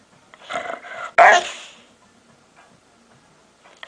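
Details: Pet dog making weird noises: a drawn-out raspy groan followed by one loud, harsh, abrupt bark-like blast that fades away, then near silence.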